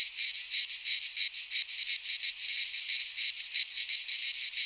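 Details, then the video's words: Greek cicadas in a midsummer pine forest keep up a bright, sizzling buzz made of rapid pulses, throbbing regularly around three times each second with no break and no other sounds. "Cicadas singing in midsummer - Nature sounds from the Greek fauna - Sounds of cicadas"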